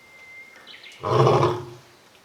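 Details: Captive male lion at Tokushima Zoo, Japan, recorded in 2023; one deep, loud, resonant roar lasting about half a second after a quiet start with a faint thin tone.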